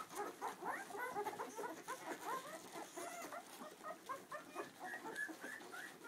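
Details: Clumber Spaniel puppies, two weeks old, with their mother Tulipa: a litter of newborns giving many overlapping high, squeaky whimpers and short rising and falling mews, almost continuous throughout.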